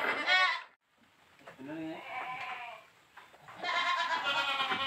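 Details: Boer goat on a village goat farm during crossbreeding with a young goat; a loud quavering harmonic bleat opens, a quieter wavering tone follows, then a second long, strong, shaky bleat near the end.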